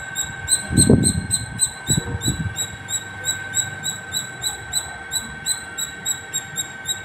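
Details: A squirrel singing non-stop at the top of a terrace gives sharp, high chirps in a steady run, about three each second.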